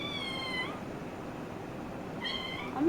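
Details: Playful kitten gives two clear, drawn-out meows, level then sliding downward, about two seconds apart, with a person talking nearby.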